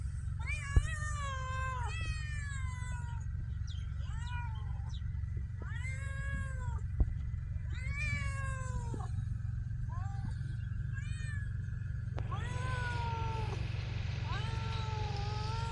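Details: Homeless street cats in Ras Al Khaimah, UAE, meowing repeatedly: a series of drawn-out, falling, plaintive meows roughly every one to two seconds, over a steady low rumbling hum.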